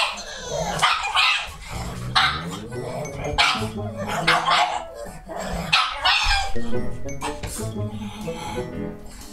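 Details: Two pugs, a male born December 2019 and his mother born March 2016, bark loudly and excitedly when a visitor arrives, one high and yappy, the other deeper, over background music; the visitor turns out to be the owner's mother.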